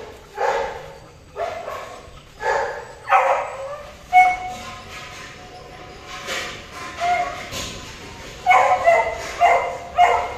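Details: Golden retriever during mating: a series of sharp, harmonic yelps and whimpers, repeated roughly once a second, with some drawn-out whining tones between the bursts.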